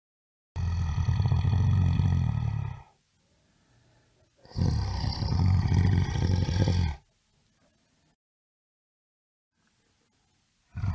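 A bear gives two long, deep, rasping roars separated by a brief pause.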